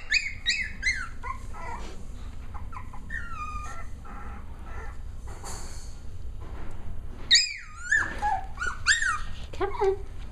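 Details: Playing Cavalier King Charles Spaniel puppies, six weeks old, let out shrill descending yelps and squeals in quick runs, several overlapping near the end, over a low room hum with a brief human voice.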